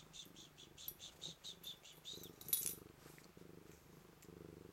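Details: Blue-eyed white Manx cat purring while greeting, a steady low rumble pulsing in quick regular bursts, joined by faint soft clicking and brief higher rustles.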